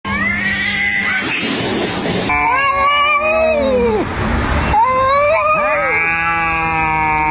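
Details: Domestic cats in a fight, giving drawn-out wavering yowls rich in overtones, rising and sagging in pitch, with several howls overlapping and one voice breaking into sharper cries near the end.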